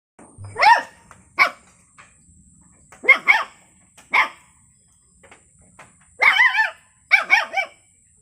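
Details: Puppy barking: high, short yaps with wavering whine-like tones, in bursts of one to three about every second, with quiet gaps between; a faint steady high hum runs underneath.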